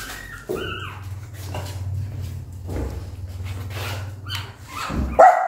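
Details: Mother dog with newborn puppies, described as angry and barking loudly at them for a long time; low growling rumble with short yelping and whining sounds over it, then a sharp high yelp at the end.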